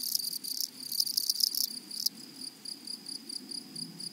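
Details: Close grasshopper in a flowery meadow gives loud rasping bursts of scratchy stridulation for about two seconds, then shifts to short, evenly spaced high chirps, several per second, over a faint background buzz.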